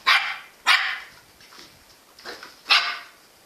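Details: Jack Russell Terrier called Engy barking repeatedly: two loud sharp barks half a second apart, a softer pair, then another strong bark, each clipped and bright.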